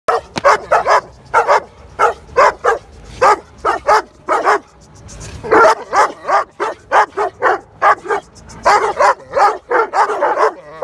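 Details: Dogo Argentino barking in a neighbourhood park at other dogs it is not friends with; loud sharp barks in rapid bursts, often in pairs or runs of three to five, with short pauses between groups.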